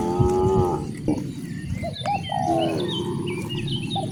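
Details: Morning moos from cows driven along village streets, two rich, drawn-out lows a couple of seconds apart over steady rural background noise and a few faint chirps.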